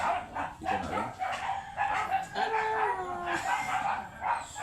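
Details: Teacup Pomeranian dog during a stud session in Bayambang, Pangasinan: a thin whine that slides gently downward near the three-second mark, set among scattered short yelps and dense background noise.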